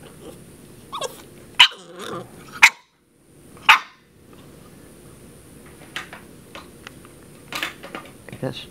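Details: Princess Zelda, a 10-week-old puppy, barks at a water bottle: three sharp, loud barks spaced about a second apart in the first four seconds, then quieter scattered small noises and soft sounds.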